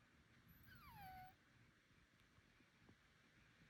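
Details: Bengal cat with a suspected illness, such as nasal congestion or allergy, uttering a single clear strange cry that glides smoothly downward and holds a steady low note, followed by quiet background.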